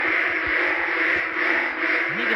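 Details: Ueng frogs calling in daytime during heavy rain at Ban Khok Sa-at: a dense, unbroken chorus of many overlapping nasal calls forms a steady mid-pitched wash, with rain noise beneath.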